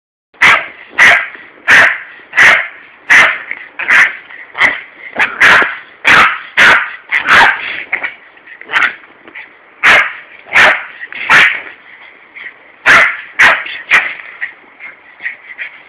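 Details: Larry, a Yorkshire terrier, attacks a hosepipe as his owner waters a heatwave-parched garden in Corby on a warm summer day. Sharp, yappy barks are repeated in quick uneven bursts over a steady high hiss.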